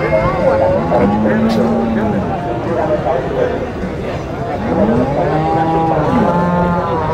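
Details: Bulls at a livestock market in Nueva Guadalupe, El Salvador. Two long, sustained moos, one early and one late, are separated by a quieter gap with distant market noise.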